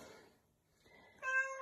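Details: Domestic cat giving a single short, bright meow with a clear tonal stack of harmonics, rising sharply out of near silence after a faint, murmured lead-in.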